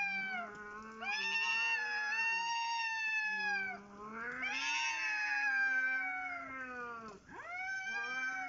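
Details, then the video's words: Two or more cats in a dominance fight, unbothered by people an arm away: long, undulating duelling yowls that swell and fade in waves of several seconds, one low, one higher, ending in a sharp dipping cry. "Cats dominating while I'm cooking"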